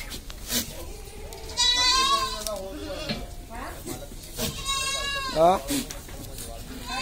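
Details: Sirohi goat kids and pregnant does kept on a farm near Kishangarh, Ajmer, Rajasthan, India, give long, wavering, nasal bleats twice, the second ending in a sharp rising cry. People talk nearby.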